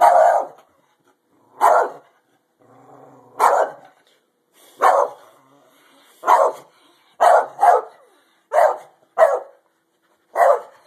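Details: Pet dog Daisey barking during a fight: ten sharp, harsh barks, single or in quick pairs, spaced roughly one to two seconds apart, with faint low rumbling in one gap.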